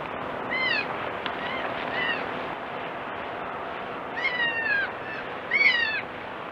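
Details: Kid goat cries repeatedly: several high, nasal bleats, some short and faint, others longer and downward-sliding, grouped near the start and end over persistent broadband hiss.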